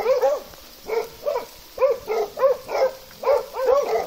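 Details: A Plott hound, recorded with an American foxhound in Russia, gives a run of short, ringing, tonal barks, several close together, then brief pauses.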